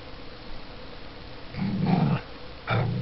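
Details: Playful growling from a Border Collie puppy and a seven-year-old Border Collie–Springer Spaniel cross at play together: a low rumbling growl held about half a second, a short pause, then a second growl beginning, in a quiet indoor room.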